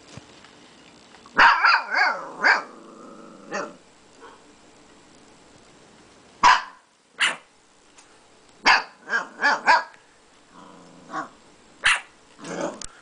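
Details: Siberian Husky puppy, two months old, and a roughly two-year-old Quaker parrot barking back and forth; clustered high yipping barks in irregular bursts with short gaps, some whining tones between.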